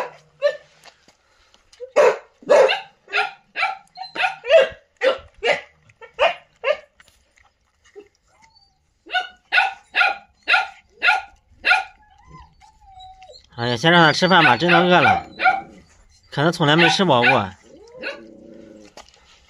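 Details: Newly teething puppies abandoned in a sack call out on seeing people: a series of short sharp yips roughly twice per second, pausing and resuming, then a person talking near the end.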